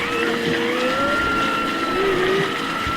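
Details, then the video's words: Humpback whales with their calves recorded underwater: long sustained tonal moans, a steady higher tone alongside lower notes that slide up and dip, over a dense hissing background wash. "This is underwater recording of humpback whales and their calves by Alan Mickey."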